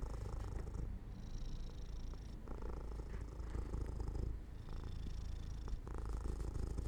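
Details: Cat dozing off by an open window in the sun, purring softly and steadily, the low rumble swelling and easing with each breath roughly every one to two seconds.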